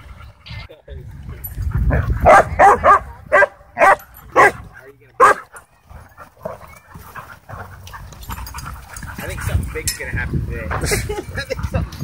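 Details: Dogs in wild play at a dog park: a run of about six sharp, loud barks in quick succession midway, then scattered softer yips and scuffling, with human voices and laughter around.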